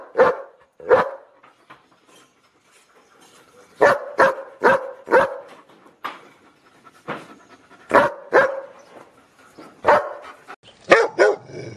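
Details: Loud dog barking from a compilation of various dogs: clusters of sharp barks, a couple at the start, then a rapid run of five, more pairs later, a scrappy flurry to close, separated by near-silent pauses.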